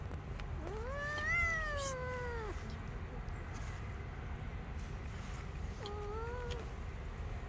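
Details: Street kittens playing on a person's lap give a long, wavering meow that rises then slowly falls, followed after a pause by a shorter, quieter meow, with constant low outdoor rumble behind.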